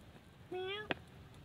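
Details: A single short meow from cats living at a pagoda, mother cats and kittens asking to be fed: steady, slightly rising harmonic tone, ended by a sharp click.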